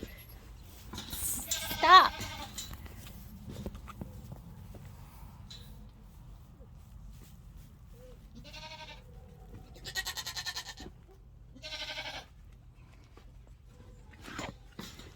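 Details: Nigerian Dwarf baby goats on a farm, a loud bleat near 2 seconds, then quieter shaky bleats around 9, 10 and 12 seconds, with a person talking and soft background music.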